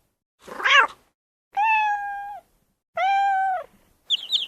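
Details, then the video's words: Domestic cat, described as funny: a short wavering cry, then two long, even meows with a falling tail, followed by a brief high chirping squeak at the end. "funny cat"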